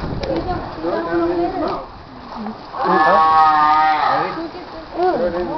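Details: Seals at Morro Bay give harsh, moaning bellows that rise and fall in pitch, each about a second long, with a longer call in the middle; people talk nearby, apparently offering food.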